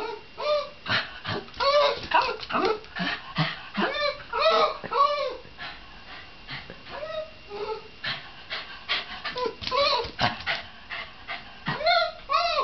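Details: Shiba Inu dog giving a rapid string of high, arching yips and whiny yelps, several per second, with short pauses between bursts and a loud cluster of cries near the end.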